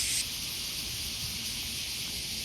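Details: Cicadas in urban Japan in summer, loud just after rain with more rain coming, fill the air with a steady, high, hissing drone that never pauses.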